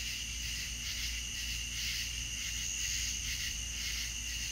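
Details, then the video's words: Crickets at night in the south, their massed high chirping rising and falling in gentle rhythmic pulses, steady and unbroken, over a faint low background drone. "The soft sweet sounds of the crickets"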